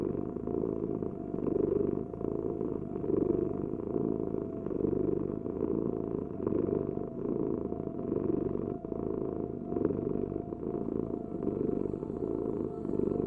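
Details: Steady cat purring, a low vibrating rumble with gentle rhythmic swells as the cat breathes in and out, over a light background hum.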